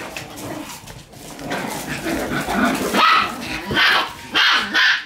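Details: Shiba Inu puppies fighting in earnest over a toy trade scratchy, high yips and low grumbling growls in irregular bursts, loudest near the end, with faint background voices.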